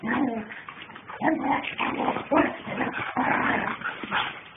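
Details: Captain and Samantha, a pair of German Shepherds, in rough play: loud, harsh growling yips in short bursts with brief gaps, some higher whining tones mixed in.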